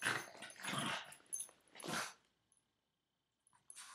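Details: Boston Terrier, nine years old, playfully gripping its owner's foot and growling in three or four harsh, breathy bursts over two seconds, then silence with a faint short noise near the end.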